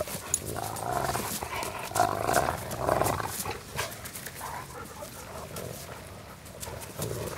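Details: Randy and Sheila, two dogs, grapple in rough play with Bloodhound Wilma nearby; deep throaty growls rise and fall in uneven surges, mixed with thumps and rustling from the tussle.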